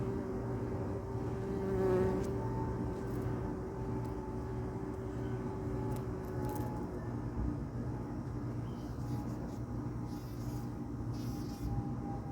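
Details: A bee flying from tree to tree in a garden gives a steady, low droning buzz, on and off, against faint outdoor noise.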